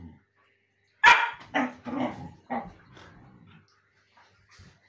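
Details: Siberian Huskies play-fighting on a sofa indoors: a loud harsh bark-yelp at one second, then several shorter rough growly barks over the next two seconds, fading to quiet soft grumbles.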